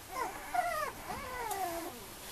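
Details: Male Mame Shiba Inu puppy whining: a run of thin, arching, nasal whimpers that rise and fall in pitch, closely linked over two seconds, with light background hiss.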